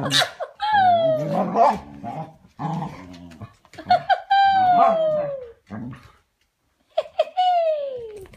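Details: Dog indoors giving drawn-out, falling whines that slide downward over about a second, mixed with short gruff growls, in three bursts separated by brief silences.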